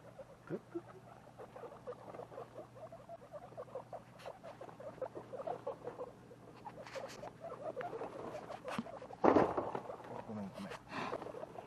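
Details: A two-week-old baby guinea pig, one of a pet litter, utters quick repeated short calls amid rustling and handling noises, with a louder scuffling burst late in the sequence.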